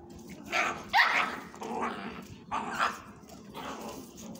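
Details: Playing puppies, a desi dog, a bakarwal puppy, a German shepherd and a desi mix puppy: short sharp barks and yips in bursts about every second, some rising, with soft background noise between them.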